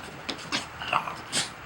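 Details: French Bulldog (Canis familiaris) named Doug gives short, breathy sneezes on command during a trick routine, with a brief high whine between them.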